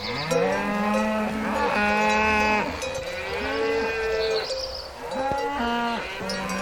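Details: Cows out in a field lowing repeatedly, long drawn harmonic moos overlapping one another, loud and continuous for most of the stretch, with a thin steady tone in the background and occasional clanking.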